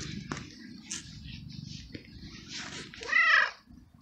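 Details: Abandoned male stray cat in heat, meowing loudly for a female mate and begging for food: a single short, bright meow near the end after soft scratching and rustling sounds.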